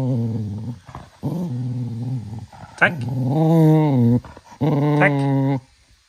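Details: Young Cocker Spaniel at evening playtime around ten at night, full of energy, growling indoors: low, rich, sustained growls about a second long, some rising then falling in pitch, in four bursts with brief pauses.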